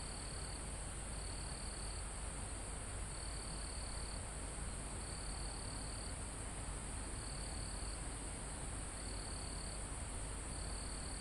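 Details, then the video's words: Crickets and insects in a calm forest high on a mountain, recorded live. An unbroken high-pitched whine underlies short trilled phrases, repeated roughly every one to two seconds. A steady breeze in foliage forms a broad rushing backdrop. "Calm Forest in Mountain With Crickets, Insects Sound"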